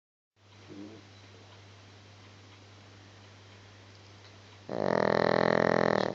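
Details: Gizmo, a pet dog, asleep and snoring indoors; a faint snort early on, a long quiet stretch, then one loud, rasping, buzzy snore of about one and a half seconds at the end.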